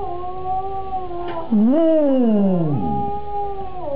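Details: Cocker spaniel singing along at home to another cocker spaniel's singing played on a computer; held level howls, then a loud voice swoops up and slides down over a second before level tones resume.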